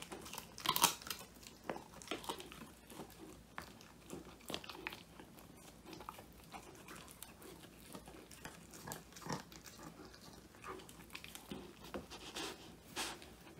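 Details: Indoors, Woody, a male Old English Sheepdog, gnaws a handmade whole-quail treat, his first; phone-recorded steady crackly chewing with scattered louder crunches, one strong burst near the start.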